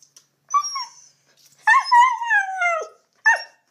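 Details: Pet dog howling over a webcam call because it misses its owner who lives far away, filmed on an iPhone 4s: three drawn-out, wavering howls that slide downward, the middle one longest, separated by short silences.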